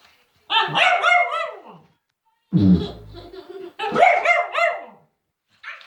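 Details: A Cavalier King Charles Spaniel named William, a scaredy dog, barks at silliness: two long harsh barking bursts with harmonic yelps, a deep lower bark between them, and a brief final burst.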